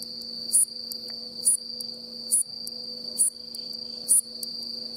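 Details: A male bush katydid (Hexacentrus hareyamai) with worn wings in farmland on Mishima, Yamaguchi, Japan, on an October afternoon, holds a continuous high buzz with a brighter chirp about once a second, "sweee-chon", over a faint low hum.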